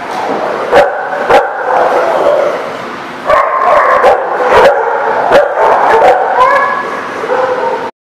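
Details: Several dogs at a dog park on 8/25/17 bark and yip continuously, overlapping harmonic barks with occasional sharp clicks, ending abruptly.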